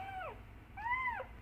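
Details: Kitten crying loudly for its mother, two clear arched meows about half a second each, the first falling away at its end, with a quiet room behind.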